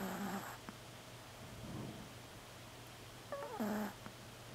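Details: A tiny black female Pomeranian asleep and snoring indoors: rough, breathy snores roughly every one and a half to two seconds, some carrying a thin, squeaky whistle over a steady low background hum.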